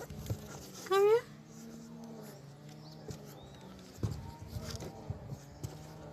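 A pit bull puppy gives one short, high, rising yelp-like bark while a person talks quietly.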